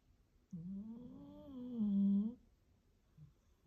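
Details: Sleeping dog snoring: one drawn-out, droning, engine-like snore of about two seconds with steady, layered tones that rise slightly, then stop abruptly in a quiet room.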